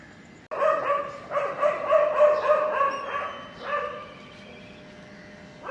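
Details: Puppy drinking milk from its mother, letting out a near-continuous run of tonal whining yelps that wobble up and down in pitch, starting after a brief quiet moment and breaking into shorter cries near the end.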